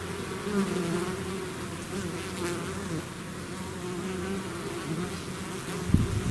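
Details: Bees swarming out of their hive make a thick, continuous low hum, the many wingbeats blending into one droning tone, with a brief louder close fly-by near the end.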